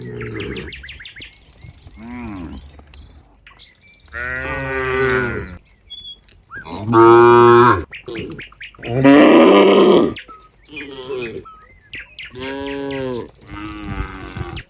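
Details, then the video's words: Herd of cows at a rural barn, a cowherd walking among them: a series of moos over fifteen seconds, some deep and some higher and more strained, with the loudest two long calls in the middle and brief bird chirps between. "the sound of cows"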